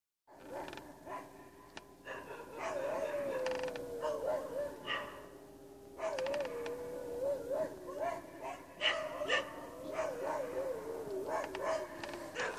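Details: Dogs howling outdoors along with coyotes; wavering, drawn-out howls that slide and quaver at mid pitch, in bouts of a few seconds, over a noisy background with scattered yips.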